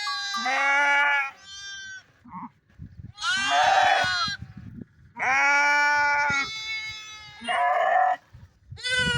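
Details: Bighorn sheep giving loud, quavering bleats, four long drawn-out cries with short clipped bleats between them, over a low rustling background.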